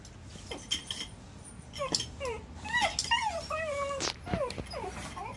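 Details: Shiba Inu named Kuri whimpering after chasing Choko and taking a cat punch, a pained voice: a run of high, bending whines with wavering, sliding pitch, some rising then falling, with faint room sounds.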